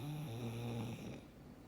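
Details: A black pug named Frank snores while sound asleep indoors: one long, low, rumbling, buzzy snore lasting about a second, then quiet breathing.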